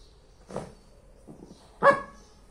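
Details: Playful bark from a Lhasa Apso mother and daughter at play indoors. A soft, muffled yap comes first, and a loud, ringing bark follows about a second later.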